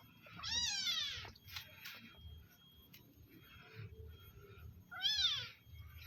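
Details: Village cat being fed: two clear, rising-then-falling harmonic meows about four seconds apart, with soft clicks and faint rustling between them.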